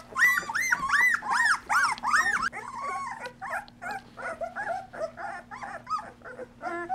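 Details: Two-week-old Golden Retriever puppies of the Dream Litter, eyes newly open, in a whelping box with their mother Mercedes, give high arched whines in quick repeated bursts, several pups overlapping, with softer squeaky whimpers following.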